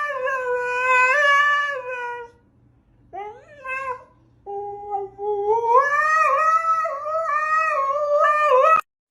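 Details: A pet dog named Hugo, wearing a hat and praised as a good boy, gives long harmonic howls and whines, first a steady tone, then a short rising yelp, then a wavering howl that climbs and holds to the end.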